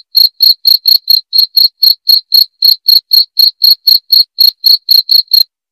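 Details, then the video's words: High, crisp cricket chirps played to scare off rats, repeated evenly around four times per second, loud and clear with no background noise. "SUARA JANGKRIK PENGUSIR TIKUS"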